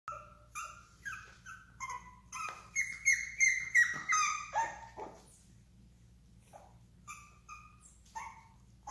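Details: Bulldog giving a run of high, tonal whining yelps, several rising then falling, repeated roughly every half second, with a steady low electrical hum underneath.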